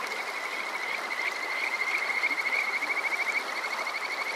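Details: Kajika frog at night in summer, Water Park Shirayama, Yokoze, Saitama, Japan: a long high trill building into rapid pulsed notes with a faint overtone, set against a continuous watery rush.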